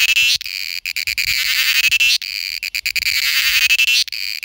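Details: Cicada, recorded in India, calling to attract a mate with strident buzzing bursts roughly two seconds apart, each phrase slightly falling in pitch, separated by abrupt short pauses.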